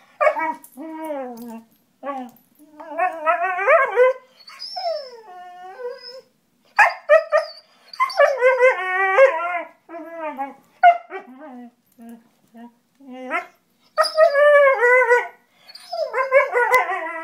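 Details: A German Shorthaired Pointer 'sings' while playing, in wavering, harmonic howls that slide up and down with short yips between.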